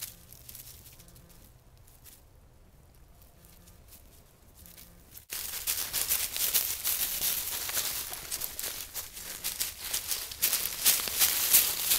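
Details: No animal voice is heard: quiet, low background hum for about five seconds, then an abrupt switch to loud, dense tearing and crinkling rustles of about three per second that continue to the end.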